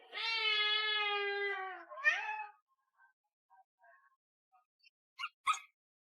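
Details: Pet cat indoors producing one long drawn-out meow that slowly falls in pitch, followed by a brief rougher yowl, then quiet with faint clicks and small sounds.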